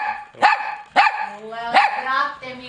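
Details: Domestic dog barking loudly, three sharp harmonic barks about half a second apart with a whiny tonal sound between them, from a compilation of different dogs barking.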